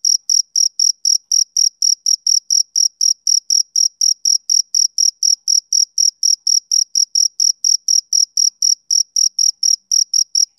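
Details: Male cricket chirping on a summer evening: a steady run of short, high, shrill chirps, about four each second, evenly spaced and unbroken, with no other sounds.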